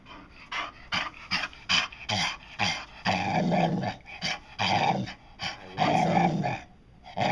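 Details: Pet dog Dotty producing a run of short yips and growly mouthed sounds, then longer moaning growls resembling "I want some", irregular bursts with pauses, person speaking between them.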